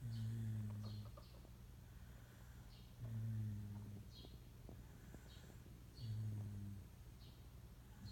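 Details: Low, throaty snores from Moka, a Shiba Inu mix dog who snores even while awake; each rough, droning breath lasts under a second and returns about every three seconds against soft background hiss.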